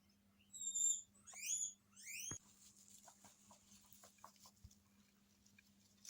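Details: Pet guinea pigs in Hokkaido, reacting to an unknown guinea pig's voice from a TV: three shrill rising whistled wheeks, then a thump followed by soft rustling and light tapping noises.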